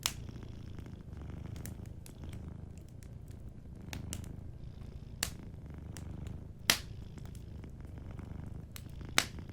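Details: Sleeping cat purring softly beside a warm fireplace; a low, steady rumbling purr runs throughout while sharp wood-fire crackles and pops burst out every second or so, several of them loud.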